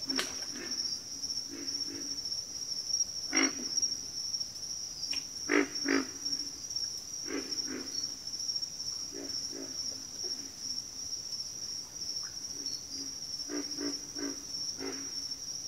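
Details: Frog chorus from backwater: low grunting calls repeated irregularly, some in quick pairs, over a steady high insect drone throughout.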